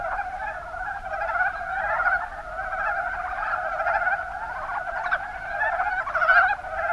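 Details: A chorus of Mountain brown frogs (Rana ornativentris) in Kumamoto Prefecture's Kuma Basin, Japan. Many overlapping croaking calls merge into a continuous mid-pitched drone, with brief clucking accents standing out here and there.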